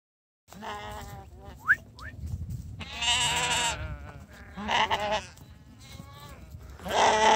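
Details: Domestic sheep being called in for breakfast, answering with wavering, harmonic bleats, one loud and drawn out in the middle, amid short rising whistles and a person's low calling voice.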